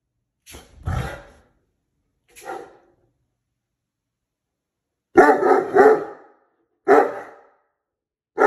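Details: Stubborn Cane Corso, told not to come past the stairs, giving deep barks: a single bark, a short one, then a burst of several rapid barks and another bark, separated by silences.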